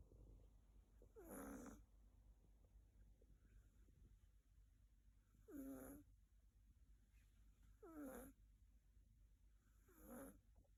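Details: Snoring of a young female Siberian cat sleeping on its owner's bed: four brief wheezy, rasping breaths at uneven gaps of two to four seconds, with soft low room hum between them.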